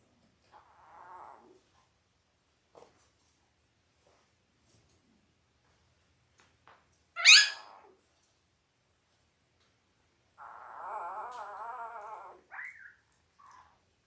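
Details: Five-day-old Labrador Retriever puppies from an eight-pup litter born October 15, 2023, on an indoor puppy cam: a sharp rising squeal, then a long wavering whine lasting about two seconds, with short squeaks and soft rustling between.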